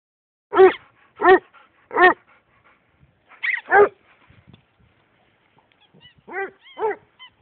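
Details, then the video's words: A Basset Hound howls at a squeaky duck toy, giving about six short, mellow, harmonic bays in pairs and threes, with faint squeaks near the end. "Bassett hound howling at squeaky duck toy"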